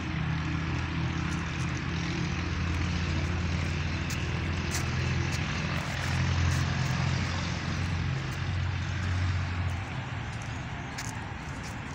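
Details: A steady low engine drone, like a propeller aircraft or vehicle, with no animal calls.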